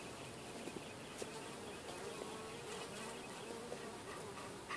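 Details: Hive bees swarming around the entrance and pushing a beetle to move along; constant dense buzzing drone with small clicks and taps scattered through.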